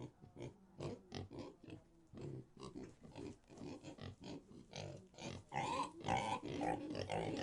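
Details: Pig grunting rapidly and steadily, about two rough, low oinks each second, growing louder and harsher toward the end with a squealing edge.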